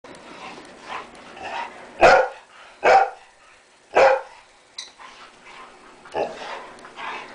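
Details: Dogs in a fight, one of them black, give loud, harsh barks and growling yelps, with three strong bursts in the middle and rougher, softer snarls around them.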